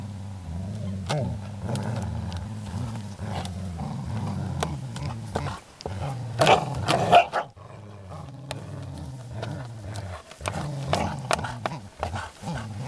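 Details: Playing Groenendaels, Belgian shepherd dogs, guarding a resource with deep, throaty growls that run almost unbroken, swelling into a sharper snarl about six seconds in, then a brief lull before the rumbling resumes.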